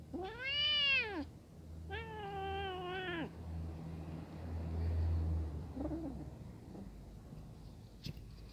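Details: Brown kitten frightened in front of adult cats that are eating: two long, loud harmonic meows, the first arched and about a second long, the second flatter and held, then a short faint mew and a low steady hum behind.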